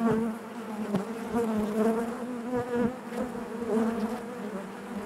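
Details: Dense buzzing of a honey bee colony in the hive, a rich steady hum with clear overtones and small wavering pitch shifts, interrupted by a few faint clicks.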